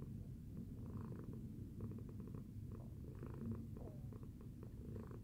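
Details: Tacy the cat purring after breakfast, a continuous low throbbing rumble with faint rhythmic swells as the cat breathes in and out.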